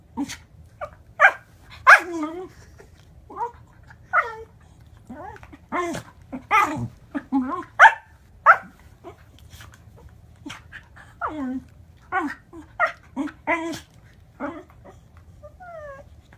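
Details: A Pembroke Welsh Corgi gives an irregular run of short yips, groans and whiny, falling vocal calls.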